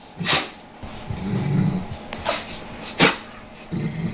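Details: A Golden Saint Bernard rolling on a living-room carpet scratching its itches gives deep, soft, contented growls with every roll, between brisk scratching and rustling bursts.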